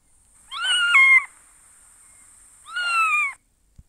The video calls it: Newborn Kittens Meowing for Milk and Love!